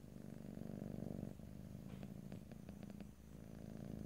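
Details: Purring house cat, stereo ear-to-ear recording without talking; steady low vibrating rumble rising and falling with each breath, briefly interrupted midway by soft rustling clicks before the purr resumes.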